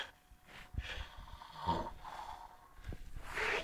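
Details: Zuze, an 18-year-old female cat, asleep in an odd position on a couch, snoring: rough snorting breaths come about once a second, low and breathy, with faint room noise and a person's voice nearby.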